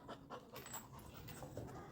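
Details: Female Labrador Retriever pet indoors, climbing onto a person: quick, soft, rhythmic panting breaths, several per second, fairly quiet throughout, with a woman speaking Tamil just before.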